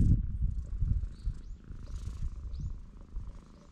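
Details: Purring from a stray cat on a cat island on a clear blue-sky day: close, deep pulsed rumble, loudest in the first second, then softer and uneven, with faint rustles.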